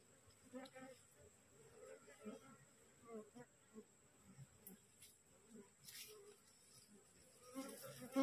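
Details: Freshly split wild honey bee swarm clinging to a cassava plant, called aggressive; short low buzzing flights swell and fade every second or so, over a faint constant high-pitched tone and occasional rustles.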